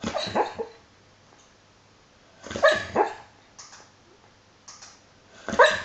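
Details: Hollie, a pet dog, dreaming and snoring in her sleep: soft muffled woofs in short bursts, a pair close together mid-way and another near the end, with quiet gaps between.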